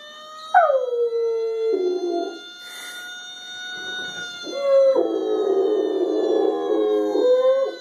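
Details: A normally quiet female Rottweiler howls in long, wavering notes that drop and then hold steady in response to a whining fire truck siren played from a video.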